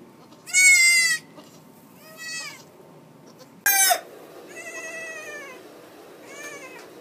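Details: Goat on a farm, a mother giving birth in March: five high, strongly harmonic bleats across seven seconds, the first and fourth loudest and short, the later ones softer and drawn out, over a quiet background.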